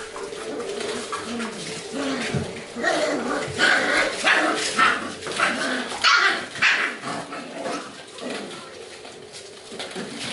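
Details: Golden retriever puppies from a C litter playing very lively together: a busy tumble of short yips and barks, some overlapping, in quick irregular bursts, with soft growly noises underneath and no steady rhythm.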